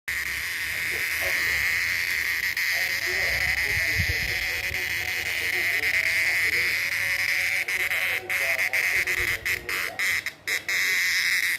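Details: Male cicada singing: a steady, unbroken, shrill buzz holds at one high pitch throughout, then breaks into brief stutters and short gaps near the end.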